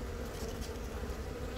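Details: Continuous low hive drone from a honey bee colony in Yongin Baegam, Korea, on April 20, while a young queen from a natural swarm lays eggs; recorded with a Galaxy Note 10. The even hum holds steady, with a brief bright rustle at the end.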